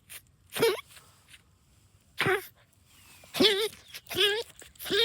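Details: Excited pet dog Rosie digs for moles in a backyard and chews on a root, giving goose-like honks. Five or so short, raspy, warbling honks come in uneven bursts, with a pause in the middle.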